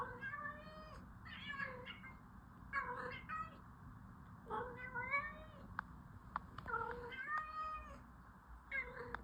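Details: Orange cat meowing repeatedly, a string of short harmonic meows, some rising then falling, roughly every one to two seconds, with a few clicks over low steady background hum.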